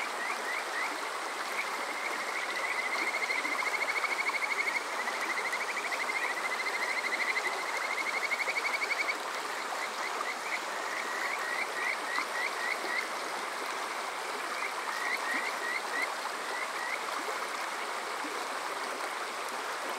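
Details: Summer-night chorus of Kajika frogs beside flowing water at Water Park Shirayama in Yokoze, Chichibu, Saitama, Japan, TASCAM DR-05X recorder: a long, loud run of fast rising whistled trills that swells, then breaks into shorter bursts above constant stream noise.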